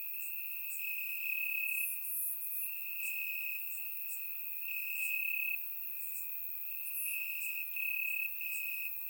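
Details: Grass crickets in Bulgaria calling through a warm summer night, captured with a surround microphone: unbroken shrill trilling that rises in loudness in stretches of about a second, layered with faint rapid higher chirps.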